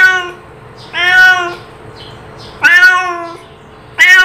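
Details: A cat's call: four loud harmonic meows, each about half a second long, level then slightly falling, separated by short quiet gaps with a steady hum.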